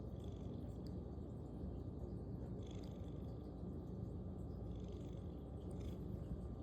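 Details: Sleepy pet cat snoring while asleep: soft, continuous low-pitched rumble, even and purr-like, holding steady for the whole stretch, with only faint quiet background noise around it.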